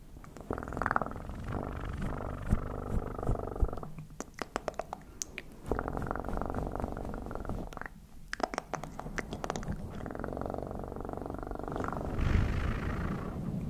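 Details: Domestic cat purring in steady low rumbling stretches, broken by bursts of sharp clicks and rustling handling noises, then resuming in a close indoor setting.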